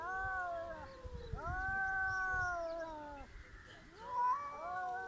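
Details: Cats in a village squaring up for a fight that never quite happens, giving long drawn-out wailing yowls that slide downward, then a fresh rising howl, with low rumbling background noise throughout.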